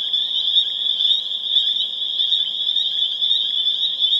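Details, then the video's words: Spring peeper chorus, Pseudacris crucifer, recorded April 27, 2011 in Harvard, Massachusetts: a dense, unbroken wall of high, shrill peeping notes overlapping into one continuous ringing band, steady in loudness throughout. "Spring Peeper Chorus Builds to a Crescendo"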